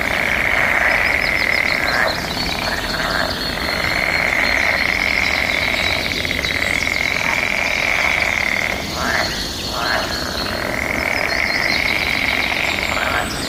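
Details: Frogs calling back and forth in mating season amid birds and nature sounds; a dense, unbroken chorus with a steady high shrill band, rattling trills layered on top, and brief dips in the wall of sound.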